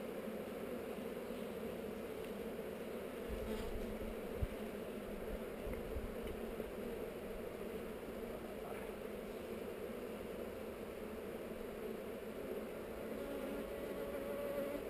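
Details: Honey bees on heather during a hive inspection, filmed with a GoPro; a steady, dense low buzzing hum runs throughout with no breaks, with a single brief knock near the fifth second.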